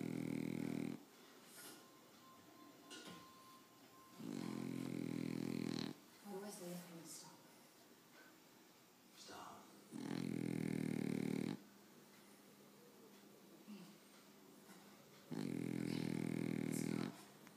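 A French Bulldog snores in long, rasping, rumbling breaths about every five seconds.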